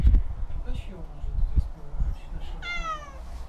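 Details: A small, scared cat gives one short, falling meow near the end, after a stretch of heavy low thumping and rustling noise.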